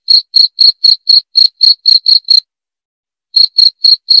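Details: Chirping of a cricket used to repel rats: a run of ten sharp, high pulses, then a one-second silence, then four more at the same quick pace; nothing else audible.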